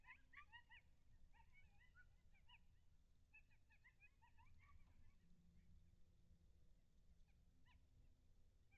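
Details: In the early morning of 18 August 2021, a wildlife cam near Lake Alan Henry, Texas, records distant coyotes in a ragged group chorus of short, high yips over a steady low rumble of wind.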